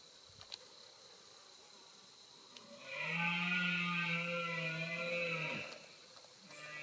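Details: A red deer stag in the 2021 rut near Zamora, Spain, late in the season when stags are exhausted, gives one long, deep, steady, throaty roar of about three seconds that fades, with quiet background before and after.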